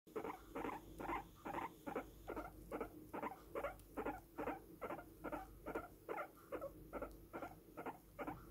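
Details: Long-haired guinea pig boar being groomed, giving steady rhythmic calls: short mid-pitched chirping pulses repeated more than twice a second at an even pace, with a faint background hum.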